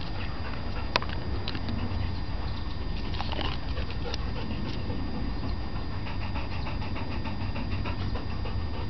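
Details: Sheila, an 11-year-old female Labrador Retriever, during a frisbee game, caught between one owner who gives treats and another who throws the frisbee. Quick rhythmic breathy panting runs throughout over a steady low rumble, with a sharp click near the start.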